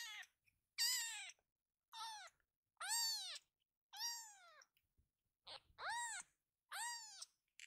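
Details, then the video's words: A rescued kitten gives high, thin meows, one roughly every second, calling its scattered littermates to gather; they then cuddle together in a pile. "みんな集まれとかわいい鳴き声で呼びかける子猫【赤ちゃん猫 保護猫】"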